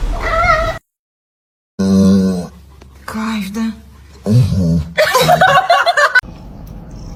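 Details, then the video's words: Kitten crying and meowing: a strained, drawn-out cry, a second after a brief silence, then several shorter wavering meows in quick bursts. Voice-like sounds mix in toward the end, with a low background hum throughout. "kitten meowing crying"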